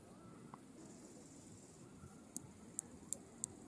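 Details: A male bush cricket in a French meadow under restoration sings to attract a mate: a series of short, sharp, very high ticks over a soft, steady background hiss, with other species chirping in the background.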